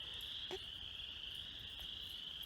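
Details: A distant chorus of spring peepers, tiny frogs among the first creatures singing this time of year, blends into a steady, high, shrill ringing in mid-March.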